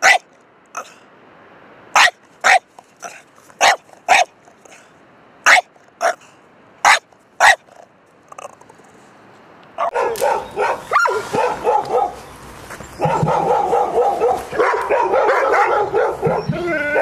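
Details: A dog barks in loud, sharp single barks, roughly two per second, for about eight seconds, then a busier, noisier stretch of overlapping sounds follows.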